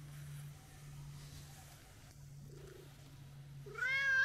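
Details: Sociable brown tabby-and-white street cat greeted at New Year, one clear harmonic meow arriving at the end after a low steady hum and faint shuffling.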